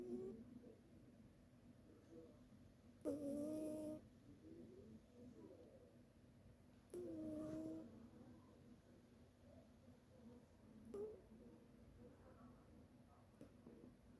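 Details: Indoors, a cat snores while asleep: two clear droning breaths near three and seven seconds, each about a second long with a faint higher overtone, then a softer third around eleven seconds; otherwise quiet room hiss.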